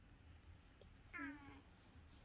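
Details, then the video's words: Calico cat calling early in the morning as if making a request: one short, falling meow against a steady hiss of background noise. "고양이 민원😾🥺(Cat talk Cat talk)"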